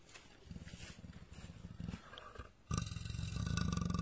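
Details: Leopard trapped in a cage in Gir Forest, Saurashtra, snorting with deep, rapidly pulsed rasps, softer at first and then abruptly louder and sustained through the second half.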